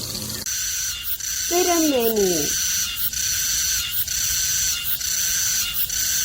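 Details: Cicada singing in Korea, a loud, high buzzing drone broken into pulses about once per second, with a brief lower, wavering descending sound near the start.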